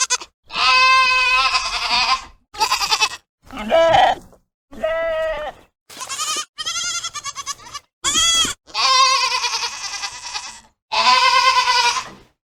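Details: Baby goats calling in a rapid series of about ten bleats, some high and squeaky, others lower and trembling, with brief gaps between each cry.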